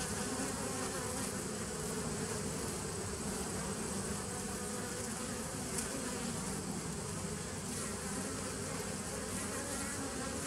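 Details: Steady humming from a honey bee nucleus colony established in 2017, recorded on 27 September 2018. The busy, grainy drone holds an even loudness throughout, with a faint flickering hiss above it.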